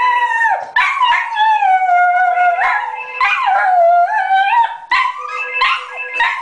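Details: A Border Terrier howls in long, wavering tones that slide up and down, broken by brief yelps, set off by a ringing phone.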